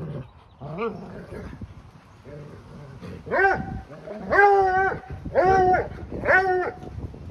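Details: A 4-year-old Bluetick Coonhound bays in drawn-out, rich-toned notes that swell and fall about once a second. He bays with the rope still in his mouth during tug-of-war with a 2-year-old Labrador-Husky mix.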